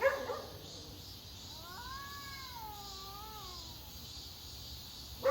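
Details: Cat giving one long drawn-out wavering meow lasting about three seconds, rising then falling, over steady background hiss, with short clicks at the start and end.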